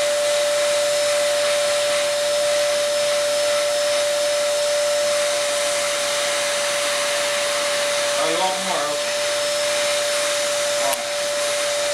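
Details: A vacuum cleaner's steady, loud whine runs continuously, with a short human voice breaking in near the end.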